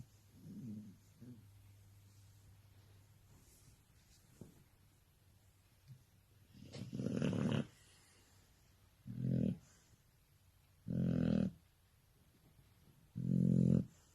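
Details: Sleeping Shar Pei snoring: after faint, quiet breaths, four loud, low, rasping snores follow at steady intervals of about two seconds. The room is otherwise quiet.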